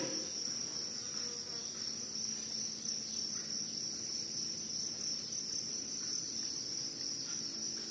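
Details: Continuous shrill cricket trilling sits on a single high pitch without pause, loud and even from start to finish over a soft low rumble.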